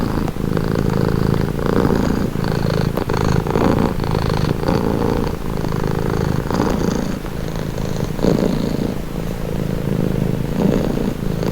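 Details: Cat purring steadily as a calming sound, a rich low throbbing rumble with rhythmic in-and-out breath pulses about every second or two, continuous with no other sounds.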